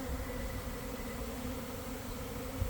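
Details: Swarming honey bees at a hive in a garden, early afternoon after a cold, damp week. The continuous droning hum holds steady over a rumbling low background.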